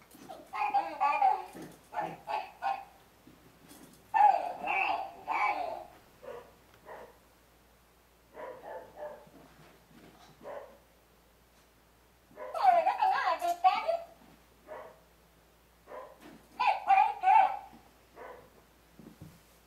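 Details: Shiraz's puppies playing with a talking ball and each other; bursts of high whimpering and yelping calls come in clusters a few seconds apart, with quieter gaps and some voice-like sounds between.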